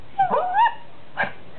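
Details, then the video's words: Maltese dog making a cute 'talking' sound, 'dau dau', as if saying something: short whiny tonal yelps with a sliding, rising-falling pitch, then a brief second yip, while a person's voice coaxes and praises the dog. "Maltese - " Dau Dau " Cute Dog Talking"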